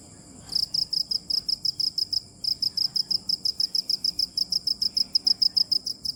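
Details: Cricket chirping: after half a second of quiet, a steady train of short, high, pulsed chirps starts, about three per second, with a brief pause near two seconds before the rhythm resumes.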